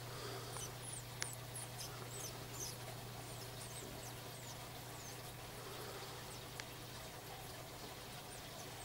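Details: Mongolian gerbil nursing its young: faint, high, short squeaks sliding downward, several in the first three seconds and more scattered later, with a couple of clicks and a steady low mains-like hum beneath.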